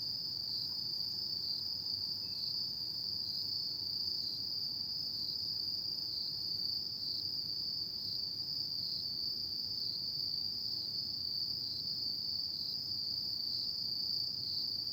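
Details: Night chorus of autumn insects, a continuous shrill ringing tone that never pauses or changes pitch, over a soft low murmur of background noise.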